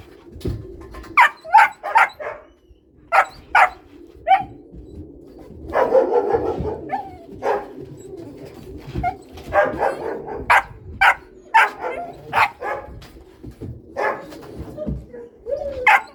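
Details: Two Cane Corso puppies yipping and barking in short, sharp bursts, irregularly repeated every second or so, with scuffling and a rougher noisy stretch midway.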